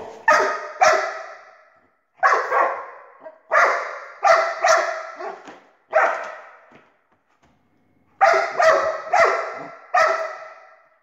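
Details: Dog barking at a laser: bursts of sharp, harsh barks, often two or three in quick succession, separated by brief pauses, with a longer silence before a final cluster of three barks.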